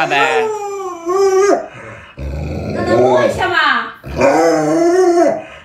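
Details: Alaskan Malamute Luoluo, a pet dog reacting after its owner puts on a mask to scare it, gives wavering, harmonic howl-like cries that bend up and down, in three bursts separated by short pauses, with human voices in between.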